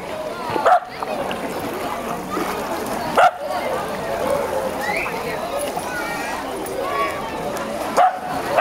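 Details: A tricolor Shetland Sheepdog named Sky gives three single, sharp barks spaced several seconds apart, recorded 9 September 2012 at Zwembad De Biezen in Laren amid a steady hum of people talking and splashing.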